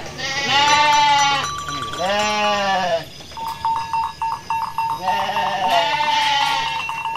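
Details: Sheep from the Pantura coast of West Java wander through rice paddies after fresh grass, calling to each other. Four strong, shaky bleats, two early and two late, with a rapid pulsing ringing tone between.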